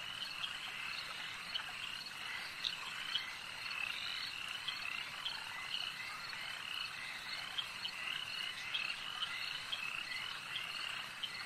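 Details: Frogs at a lake produce a thick, unbroken chorus of high trilling croaks, with frequent short, sharper notes rising above the steady background of many callers.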